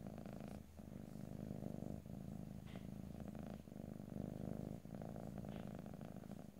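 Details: A cat purring right at the microphones, stereo ear-to-ear ASMR recording free of talking; dense low rumble pulsing with inhale and exhale about every second or so, short breaks, and a few faint higher ticks.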